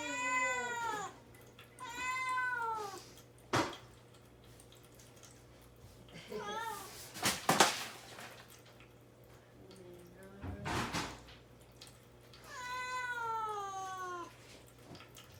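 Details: Domestic cat shut in a cage indoors, fasting without food or water before castration surgery, crying as if to be let out. Three drawn-out, falling meows with rich harmonics, separated by sharp clicks and knocks over a low steady room hum.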